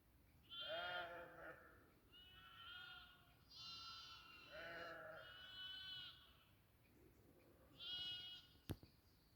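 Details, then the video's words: Goats on a goat farm bleating repeatedly, a run of nasal, quavering calls from more than one animal spaced a second or two apart, ending with a sharp knock. "goat farming goat sound"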